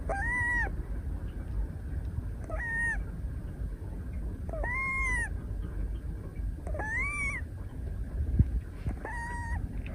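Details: Napping female Scottish Fold kitten Moka, a brown tabby born 22 June 2023, snores in someone's arms on 12 December 2023: arched whistling breaths roughly every two and a half seconds, five in a row, over a soft low hum.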